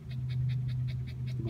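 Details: Panting from Jack and Jill, two Shih Tzus in the summer heat: quick, even breathy puffs about five per second, over a low background hum, with a person offering water.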